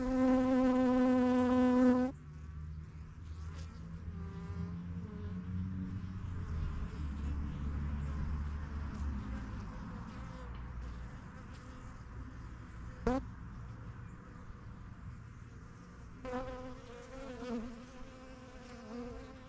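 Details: Honey bees at their new yellow backyard hive, the strongest of a first set of hives started in spring 2023, flying in and out; one bee buzzes loud and close for two seconds, then a softer, steady hive hum continues.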